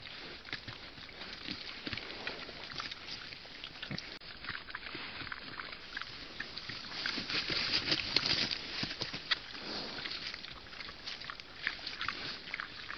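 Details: Young wild boar suckling from a sow: a long run of irregular slurping clicks and smacks, about two and a half a second, louder toward the middle, over constant broadband hiss.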